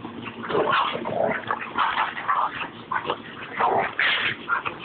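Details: Rat Terrier Babygirl squaring off against Levi, another dog: a continuous stream of growly yips and whiny barks rising and falling, with a person's voice briefly heard.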